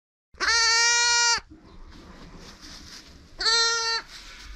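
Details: Newborn lamb at an animal sanctuary, a sheep-goat cross from a Skudde mother, not drinking on its own; two loud, steady, nasal bleats of about a second each, three seconds apart, with faint background rustle between.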